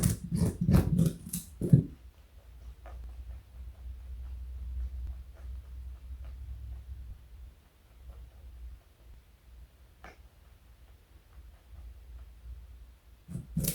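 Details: Joey, a pet rabbit weighing 4.6 kg and over 60 cm long, eating carrot indoors: a quick run of crunchy bites in the first two seconds, then near quiet with a faint low room hum and a single soft tick.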